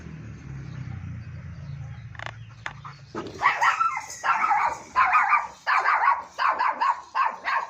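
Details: Long-coated German Shepherd dog at Joyia goat farm in Bahawalpur: after about three seconds of low rumbling background, a run of loud, harsh barks begins, roughly one every half second, each bark a broad burst with a strong mid-pitched core.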